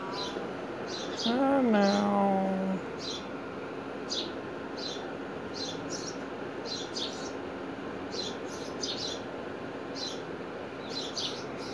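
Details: Cat meowing back while being asked about sleep: one drawn-out, low meow that rises briefly then falls and holds for about a second and a half, with short high chirps repeating throughout and a steady background hiss.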